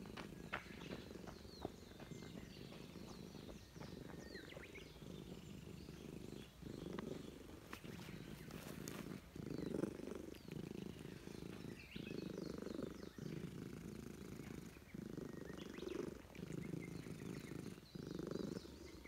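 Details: A stray Russian Blue cat in a park, enjoying being stroked by a familiar person, purrs steadily, a low rumbling throb that swells and fades with each breath.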